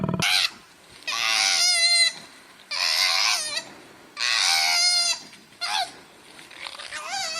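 A koala gives loud, harsh screams in repeated bursts about a second long, each wavering and strained.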